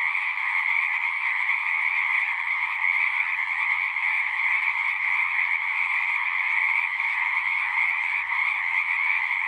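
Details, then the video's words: Massed frog chorus, a steady unbroken wall of croaking calls layered in a low and a higher band, even in loudness throughout, with faint low rumble underneath. "One hour of singing frogs."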